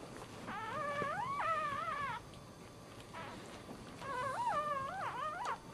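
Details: A dog in labour at home, giving birth while standing, lets out long, rich, wavering whines that rise and fall in pitch, almost howl-like, two main bouts separated by a short quieter pause.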